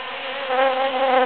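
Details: A single bee buzzing close by among huge cactus flowers after the June 22, 2013 Super-Full Moon: a loud, clear, low buzz with bright overtones that swells slightly halfway through.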